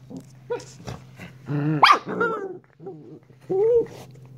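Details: Shiba Inu puppy giving short yappy barks mixed with growly yips and a few high, rising yelps, each burst separated by brief pauses, over a steady low indoor hum.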